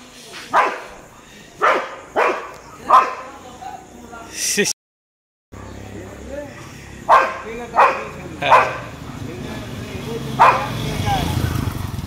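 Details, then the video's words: Street dogs barking at a Labrador, with scattered sharp barks in irregular bursts, a short gap of silence, then more barks over rising background rumble and noise. "Labrador vs Street dogs barking"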